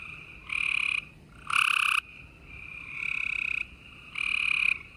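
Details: Spring night chorus of gray treefrogs in Houston, Texas, 28 April 2020. Several frogs give loud, harsh, pulsed trills of about half a second each, one after another, over a faint continuous trill from other frogs.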